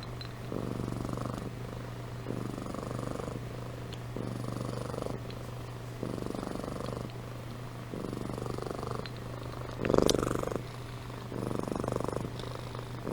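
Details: Sleeping pet cat named Amy purring and snoring, low buzzing rumbles roughly every two seconds in a regular in-out rhythm, one louder brief sound near the end, faint steady hum behind.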